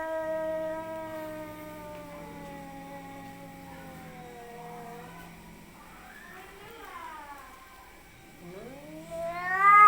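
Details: Fighting cats caterwaul: a long, low, drawn-out moaning howl with rich harmonics, wavering and sliding down, then rising into a louder, climbing yowl near the end.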